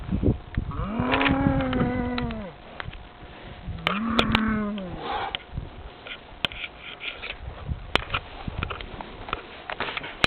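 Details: Cow somewhere in France, called by a person: a drawn-out moo of about two seconds near the start, then a shorter, rising-and-falling moo around four seconds, followed by quieter rustling and clicks.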